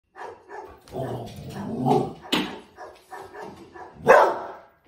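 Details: Eight-month-old Border Collie puppy reacting to a dog barking on TV: a run of short, gruff barks and yelps at an uneven pace, with one louder, sharper bark near the end, indoors.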